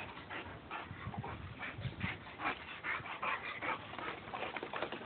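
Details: Playful mud wrestling between a Boxer and a Labrador, heard as quiet, rapid, breathy bursts repeating about two or three times a second, with scuffling through the whole stretch.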